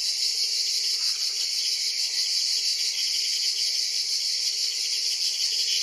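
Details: Ash cicada (Cicada orni) in the grip of a praying mantis (Mantis religiosa): a strident, steady buzz fills the clip with faint rhythmic pulsing and no break in intensity.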